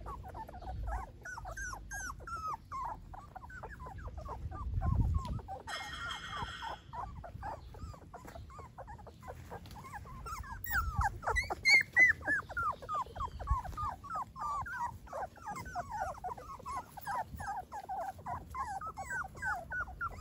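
Golden Retriever puppies give a steady chorus of high, thin whimpers and squeaks, overlapping quickly.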